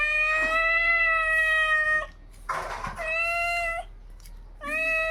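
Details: Cats fighting at 3 AM, loud sustained moaning yowls, a harsh hissing spit between wails, then renewed drawn-out screaming.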